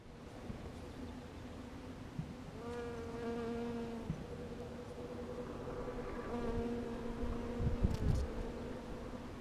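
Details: Western honey bees in April, foraging on flowers: a low, steady buzzing hum that swells and fades as a bee passes close.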